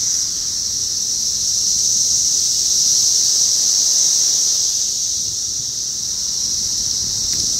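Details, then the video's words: A dense chorus of 17-year periodical cicadas (Magicicada, Brood X) makes a steady, high, hissing drone that never lets up, outside an apartment building in North Bethesda, Maryland, USA, on 9 June 2021. "17 year periodical cicadas (Magicicada), Maryland, USA"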